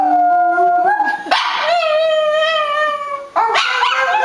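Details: A male Boston Terrier "sings" for his family, howling along in long, wavering tones that slide up and down in pitch.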